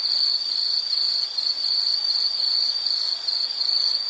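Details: Shrill insect calling, an unbroken fast-pulsed trill on a single high note, steady in loudness over a few seconds, over light hiss.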